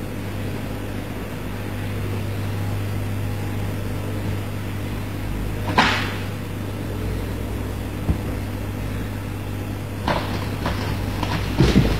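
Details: Constant low indoor hum like an appliance, broken by a few sharp knocks and clicks, with no animal calls.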